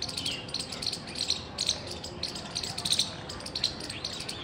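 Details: Loud squirrel chirping recorded 17 February 2021: sharp, bright chips repeated in quick bursts several times a second, with clustered clicks, over a steady hiss of background noise.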